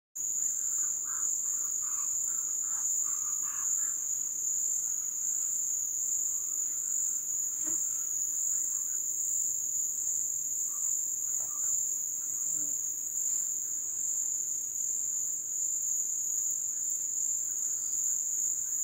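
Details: Crickets in the Brazilian wild at low-water season give a steady, high-pitched trill that runs without a break from start to finish.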